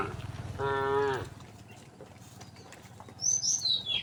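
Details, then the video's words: Resident cows on a road: one brief moo under a second long, followed by high, quick bird chirps, over a low rumbling background. "the sound of cows mooing"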